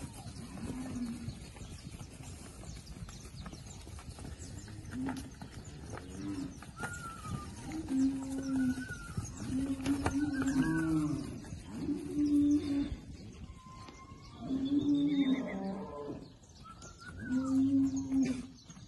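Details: Herd of 40 bred Girolando heifers with a young Girolando bull, Passos, Minas Gerais, Brazil; several short, low moos from different animals every few seconds, scattered bird whistles, distant voices, and open-air farm background.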